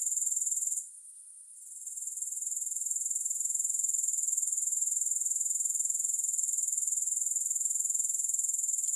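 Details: A high, rasping grasshopper trill drops away for about a second early on, then builds back and runs steadily, rapid pulses evenly spaced, no music present.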